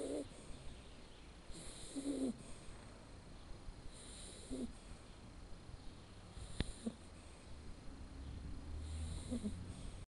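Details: A male red Shar Pei puppy, Blacke EJ Terani, born 7 October 2013, snores softly while sleeping. A few quiet, uneven, throaty puffs break through a steady hiss, with a brief click midway.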